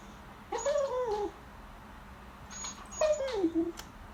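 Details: Female pet beagle begging at the table during the family's lunch, staring at the diners indoors; two drawn-out, high whiny cries, each arching then sliding downward in pitch, separated by a quiet pause in a small room.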